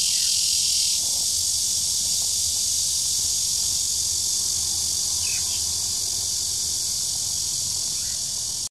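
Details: A red-veined bear cicada's song, recorded 2 July 2016 at Shezi artificial wetland: an intense, steady, hissing high drone that eases slightly after the first second, then continues evenly before cutting off abruptly.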